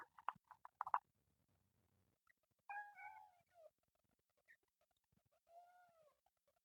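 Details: Kitten from a group of temple cats living in nature, screaming: quick clicky bursts in the first second, then a harmonic wavering meow near three seconds and a softer, fainter meow near six seconds.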